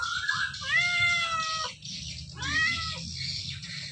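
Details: Two long, drawn-out meows from a drowsy house cat resting with many other cats at home or in a cage; the first is steady and slightly falling, and the second rises sharply then trails off.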